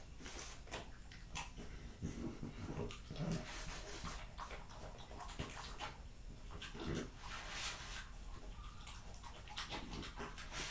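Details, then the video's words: Close-miked French Bulldog Jessica finishing a meal of raw lamb, beef schnitzel and pulled pork; steady snuffling breaths and low grunting snorts underlie scattered wet chewing and licking noises. "French Bulldog Eating Raw Lamb Cutlets, Beef Schnitzel & BBQ Pulled Pork"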